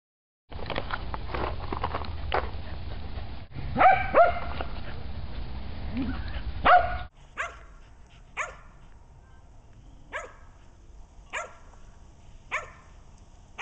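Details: Female Shetland Sheepdog, an overweight, sick pet dog with hip problems, barking indoors: a noisy, rumbling first half with a few loud barks, then sharp, single barks spaced about a second apart over a quiet background.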